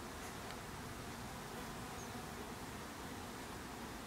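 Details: Continuous low buzzing of many bees at their hive, a steady rough drone from start to end, with a brief faint high squeak midway.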